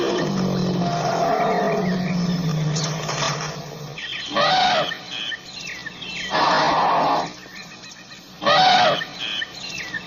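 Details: African elephant trumpeting in three harsh, blaring bursts about two seconds apart over a noisy background, with low rumbling and faint chirps of birds.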